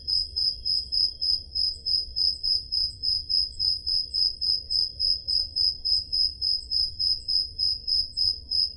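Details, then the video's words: A cricket chirps steadily with high, pure pulses, about three or four each second, on a summer night in the Peloponnese, Greece. "Crickets Sound Effect"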